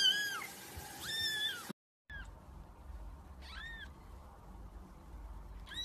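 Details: Cat giving two clear arched meows, rising then falling, back to back. After a brief cut, softer and more distant meows follow over a low background hum.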